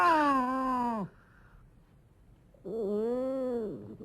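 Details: Domestic cat giving two drawn-out meows, about a second each with a pause between, the first falling at the end and the second rising then dropping; part of a set of cat meows, snarls, hisses, moans and cries.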